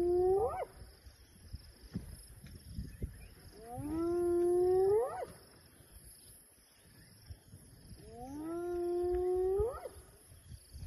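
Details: Hyenas calling near elephants give long, rising whooping calls, each sweeping upward and repeated every few seconds.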